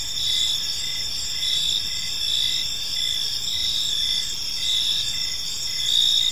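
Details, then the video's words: Evening park chorus of crickets, dense and continuous, with high ringing trills layered over one another and a rhythmic pulsing lower chirp, soft environmental noise beneath. "Park Serenade: Cricket Sounds in a Peaceful Park"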